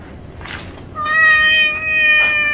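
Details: Stray cat from a mother-and-kittens group making its home in a trash heap: a single drawn-out, steady meow lasting over a second, clear and tonal, slightly dipping at the end, over soft background hiss.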